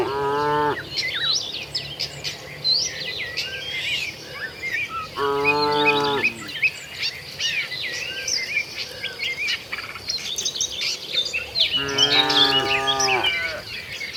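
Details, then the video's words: Tame cattle walking with their herd toward the shed, giving three long harmonic moos spaced about five seconds apart, over constant busy chirping of many birds. "suara sapi moo"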